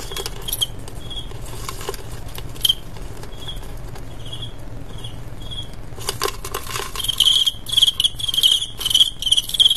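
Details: Male crickets in a staged cricket fight, a blood sport: short tonal chirps in scattered bursts, growing dense and loud in the last four seconds, mixed with scraping and tapping clicks.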